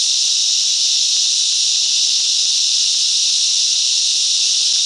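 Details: Cicada chorus from bush mangroves at Coffs Harbour, New South Wales, Australia: an unbroken, bright, sizzling drone of many insects together, steady in loudness with no gaps.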